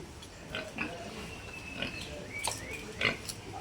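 A pig gives short, thin squeals mixed with brief snorting grunts.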